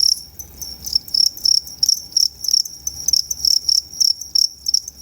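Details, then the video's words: Two-spotted crickets, Tama Zoological Park, Japan, 29 September 2015, performing two different call types; loud high-pitched chirps, each a quick cluster of pulses, repeated roughly three times a second. "フタホシコオロギの鳴き声｜Sounds of Futahoshi Cricket"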